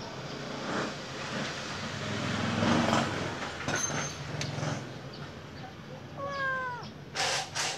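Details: Golden-eyed Khao Manee cat looking outside gives a single short, harmonic meow that rises and falls near the end. A steady low rumble and broad background noise run throughout.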